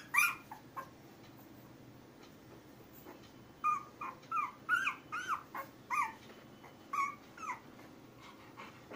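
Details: Labrador Retriever puppies aged 10 days give a run of high, wavering whimpers and squeaky cries. A few come early, then a dense burst of about a dozen follows in the second half, over a soft room hush.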